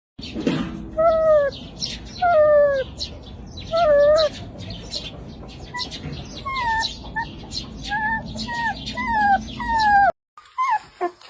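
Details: Sleepy puppies playing and yawning indoors: a series of high, thin, downward-curving whines repeated every second or so, some in short pairs, over soft rustling, ending with a short break and faint knocks.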